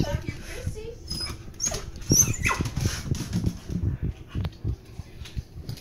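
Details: A dog recovering from a long bout of pneumonia gives thin, high, bird-like squeaks and chirps over a few seconds, with a person talking throughout.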